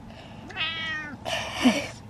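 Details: Domestic cat meowing in apparent distress, described as horror: a long harmonic meow followed by a louder, noisier drawn-out cry, indoors with faint background.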